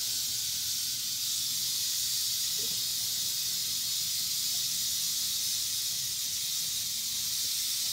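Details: Eastern diamondback rattlesnake (Crotalus adamanteus) sounding its rattle: an unbroken, even, high hissing buzz that holds without pause, over a faint low background rumble.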